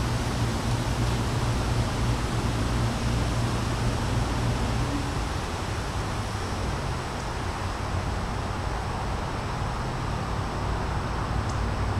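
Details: Steady broadband rumble like wind or distant traffic with a low constant hum throughout and no clear animal voice.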